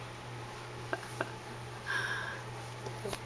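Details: Indoor room hum with a few soft taps and a brief rustle, without any animal voice.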